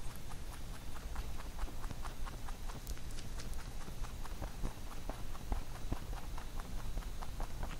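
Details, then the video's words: Pet rabbit munching a carrot songpyeon made for Chuseok; quick, fairly even crunchy clicks continue throughout at moderate volume, with a light steady hiss underneath. "Rabbit eating sound with Carrot SongPyeon"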